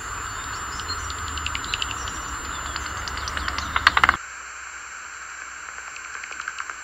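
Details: A bat's inaudible ultrasonic echolocation, converted by a bat detector to audible frequencies, sounds as dry ticking clicks quickening into a brief rapid burst over steady electronic hiss.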